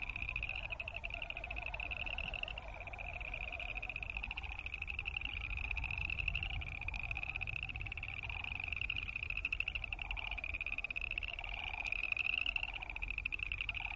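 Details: Boreal chorus frogs give overlapping high, pulsed trills like a fingernail run along a comb, with Wilson's snipe making wing sounds and sandhill cranes calling.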